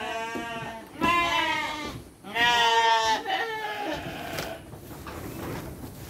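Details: Sheep receiving dry fodder while children watch: two strong, quavering bleats in quick succession, then quieter voices and rustling.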